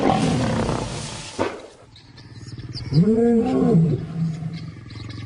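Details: Lion roaring in another lion's territory, an insult to the resident male Simba from two intimidating new arrivals; a noisy rumble, then one deep arched moaning roar with strong low harmonics, followed by softer grunts, over background music.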